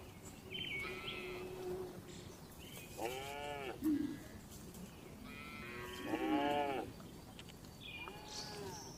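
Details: Cattle inside a farm barn call at moderate distance: a few arched harmonic moos and higher, thinner calls spaced a few seconds apart, with a brief thump and a steady murmur of barn noise.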